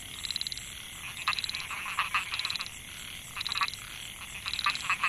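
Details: Microhyla pulchra, the narrow-mouthed frog, in a rice field at Mae Hia, Chiang Mai, Thailand, 2014: rapid rattling pulse trains repeated roughly every second, multiple males answering each other over a constant high-pitched insect drone.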